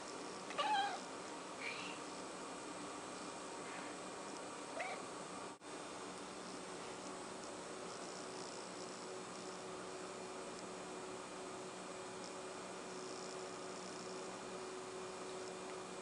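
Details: Blip, a six-month-old pet cat, hunting a fly indoors: a few short, high chirping calls near the start and another around five seconds, over steady room hum.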